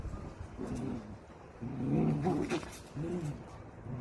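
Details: Miniature dachshund at play, giving low, rumbling grumbles in short bursts, loudest around the middle, with a softer grumble near the end against a quiet indoor background.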